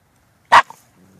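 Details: Shiba Inu pup named Mishi giving a single short sharp yip lasting about a tenth of a second, then near silence with a faint low hum.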